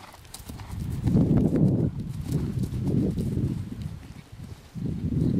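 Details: Young black horse at cross-country jumping school: dull, thudding hoofbeats in irregular bursts, heavier pounding around landings, with brief quieter gaps between strides.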